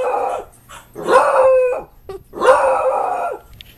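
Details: Frightened beagle puppy reacting to a stuffed beagle toy: three drawn-out baying barks, the middle one sliding down and trailing off, with a brief yelp between them.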